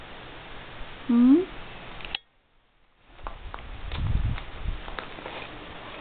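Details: Pet domestic cat indoors in a small room gives one short rising meow, followed by a woman speaking to the pets and low rumbling handling noise.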